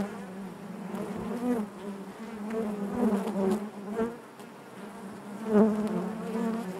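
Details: A colony of honey bees humming in the hive: steady low buzz with rippling harmonics, loudness waxing and waning, and a strong close buzz flaring up late in the clip.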